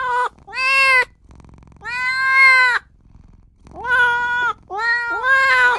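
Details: Tiny newborn kitten calling for its mother and owner, giving long drawn-out meows, some rising then flattening, about one every second and a half, with brief quiet gaps between.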